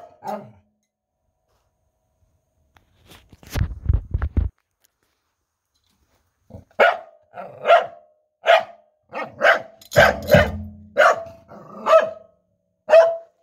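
A corgi gives a string of short, yodelling barks, about one a second, after a few drum thumps.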